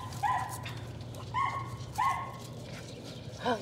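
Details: Young Patterdale Terriers in rat-work training at dusk in a puppy pen; three clipped, high whining yelps about a second apart, then a final rising whine, against a constant low droning background.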